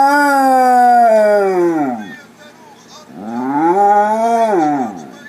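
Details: Basset Hound howling along to Spanish soccer goal calls on TV: two long drawn-out howls, the first sliding slowly downward over two seconds, the second rising then falling, with faint background noise between.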